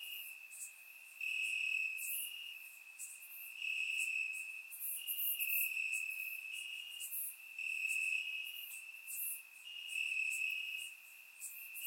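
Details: Grass crickets on a warm Bulgarian summer night, recorded in surround sound: a sustained high trill rising and falling in loudness roughly every second, overlaid with numerous brief high chirps from other insects.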